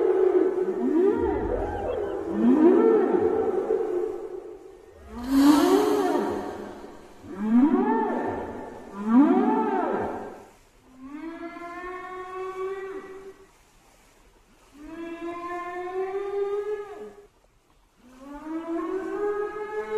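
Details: Whale calls: drawn-out tonal moans, some rising then falling, others steady with many stacked harmonics, coming in long phrases separated by short gaps of silence.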